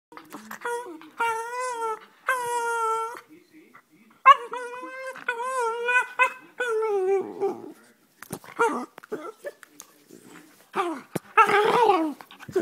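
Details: A Jug (pug cross) that "talks" to its owners in a duck-like tone makes drawn-out, nasal, quacking whines, several in a row with wavering pitch, while a person talks in between.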